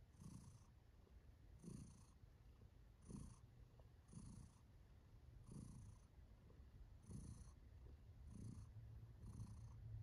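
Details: Purring from Kiwi, a contented female house cat enjoying herself: a deep continuous rumble pulsing with each breath, swelling about every one and a half seconds in a small quiet room.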